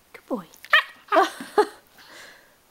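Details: Alaskan Malamute puppy indoors, trying to jump up and bite, gives a short falling whine then a few rough barking growls, with a man's voice praising and scolding it before and after.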